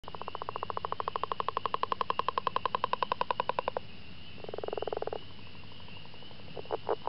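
A frog gives a long, rapid, rattling trill of evenly pulsed croaks, then shorter, lower bursts.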